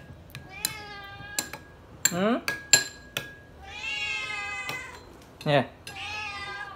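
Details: Pet cat crying loudly to beg for food: long harmonic meows, some rising and falling, mixed with sharp clinks and short bursts, people talking and background music.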